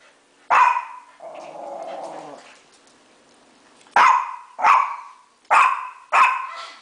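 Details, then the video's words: Dogs indoors bark loudly and sharply, with a low, drawn-out growl between barks, at a mounted deer head set on a garage counter. "Dogs barking at mounted deer head"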